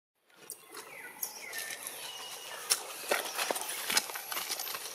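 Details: Baby macaque Anissa in a crying tantrum, begging for milk after her mother Anna puts her on the ground; thin, high, sliding wails rise and fall over a steady crackle of rustling and clicking outdoor noise.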